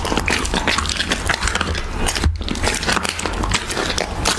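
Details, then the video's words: Siberian Husky chewing raw beef: loud, close crunching bites and sticky smacking come in quick bursts, with one brief pause mid-way, over a constant low hum. "Husky ASMR | Mukbang eating raw beef"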